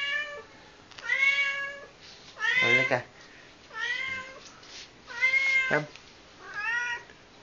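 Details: House cat calling its owner to the kitchen with five separate meows spaced roughly a second or more apart, some bright and rising, two harsher and more strained, between quiet gaps.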